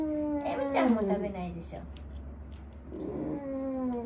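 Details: Wanta, an elderly dog in home care who cries out whenever awake, groans indoors during the morning routine: a drawn-out tonal moan sliding downward in pitch, a pause, then a second steadier, lower moan, with faint room noise.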